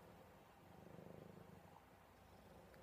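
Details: Buddy the affectionate male cat purring contentedly while cuddled: a deep, evenly pulsed rumble that swells slightly in the middle, ending with a brief click.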